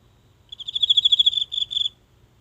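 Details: A single insect in the grass of a home garden at night, phone close by; one brief high, buzzy pulsed trill of about a second and a half, with a small break near its end.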